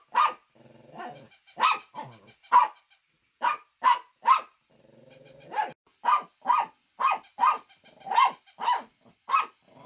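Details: Pet Shih Tzu barking repeatedly for about ten seconds, sharp barks in clusters of two or three, with quieter growl-like rumbles filling some of the pauses.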